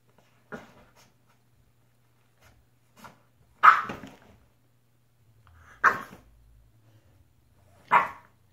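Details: French Bulldog barking while playing alone: short, sharp barks, the loudest three about two seconds apart, with a couple of faint softer yelps between them and near-silence around them.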